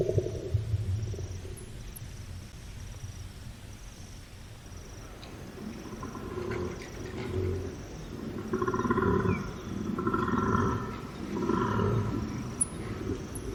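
A koala gives deep, rasping, snore-like grunts that swell into rhythmic, throbbing bellows.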